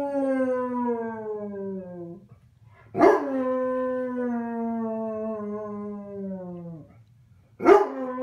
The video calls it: basset hound howling!